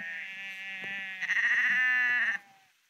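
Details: Sheep walking along the Porrenkoogdeich dike near Husum, Nordfriesland, giving one long, rich, nasal bleat of about two and a half seconds that turns quavering and louder halfway through before stopping abruptly, with quiet surroundings afterward.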